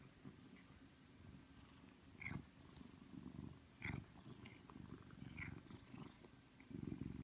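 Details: Ragdoll cat lying on a lap in an office, demanding attention, purrs in low rumbling bursts roughly every one to two seconds, with soft shuffling sounds in a quiet room.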